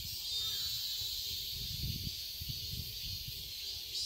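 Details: Cicadas in a summer garden in Seoul, Korea: a dense, steady high-pitched shrill fills the air without pause, while low rumbling background noise swells and fades underneath.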